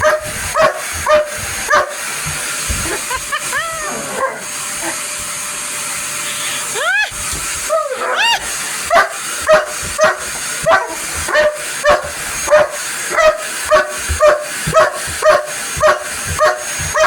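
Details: Police dog angrily barking at a vacuum cleaner indoors: a long run of rapid, repeated barks broken by rising whine-like yelps, with a steady motor hum and a woman's voice telling him to go away.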